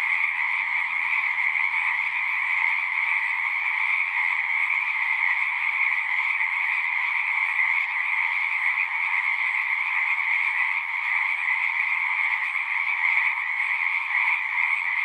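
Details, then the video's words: Frog chorus from a pond in a horse pasture, Zoom 6 recorder: continuous overlapping trills at two pitches, steady and dense, with faint low rustling in the first few seconds. "Frogs singing"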